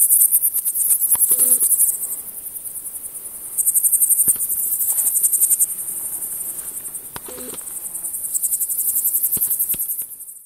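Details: Frivaldszky's bush cricket (Pholidoptera frivaldskyi) in a humid meadow near Kosari, Cherkasy Oblast, Ukraine, 5 July 2023: a high, sizzling song of rapid pulses, steady and unbroken, with a few faint clicks.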